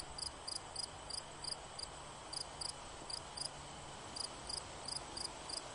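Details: A cricket chirps in short high pulse pairs, grouped irregularly with brief pauses, set against continuous hiss and a faint low hum.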